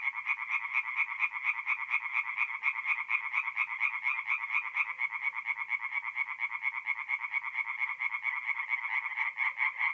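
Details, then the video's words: Tree frogs in full nocturnal chorus at a forest pond, north-east Italy, mid-April; continuous loud pulsed rasping from many overlapping callers, beating steadily throughout. "relaxing forest pond by night with singing tree frogs"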